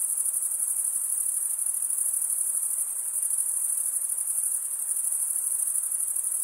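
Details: Male crickets stridulating, a steady, very high-pitched shrill trill held without pause, with a faint pulsing shimmer and no other sounds.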